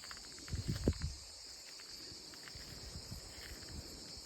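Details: Cicadas singing in olive trees: a steady, continuous high-pitched buzzing drone that never breaks, with a brief burst of low rustling or handling thumps near the start.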